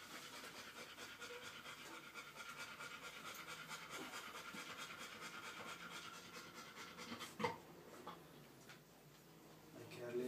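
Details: Airedale Terrier mother nursing a puppy beside a pup born one hour earlier. Fast, regular panting fills the first seven seconds, then a sharp knock and quieter breathing with faint voices.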